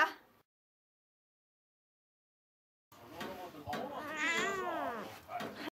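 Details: Cat playing at dropping balls: after a short sound and a silent gap, a drawn-out, wavering meow with rising and falling tone, followed by shorter soft calls and light knocks.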